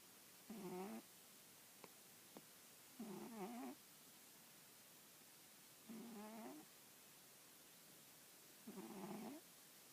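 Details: Domestic cat, female, asleep on an old newspaper with her head resting on an arm, snoring indoors: four harmonic, wavering snores about every three seconds, each lasting about half a second, in a quiet room.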